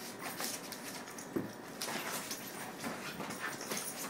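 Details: A ten-month-old Miniature Schnauzer and a two-month-old Standard Schnauzer play, making soft whimpers and yips over a steady hiss of scuffling and breathy noise.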